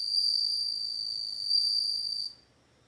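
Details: Sustained shrill, bell-like chirring of a bell cricket, one even high-pitched note lasting over two seconds with a brief swell midway, then cutting off into near silence.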